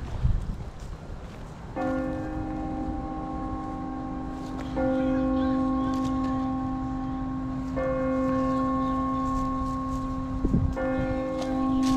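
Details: Ringing chime bells strike steady sustained tones every three seconds, with faint background chatter and low rumble. No animal voice stands out.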